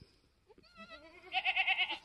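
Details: Newborn F4 Mini Alpine buckling, black with white-frosted ears and nose, born in the woods on a homestead on March 13, 2021; a thin bleat rises, then breaks into a loud quavering tremolo of about six quick pulses.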